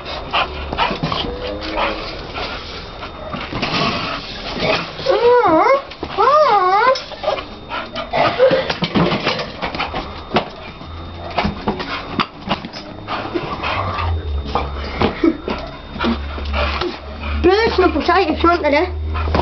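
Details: Excited Staffordshire Bull Terrier going crazy over balloons indoors: wavering high whines around 5 and 17 seconds amid sharp bangs and thumps, with low rumbling and occasional speech.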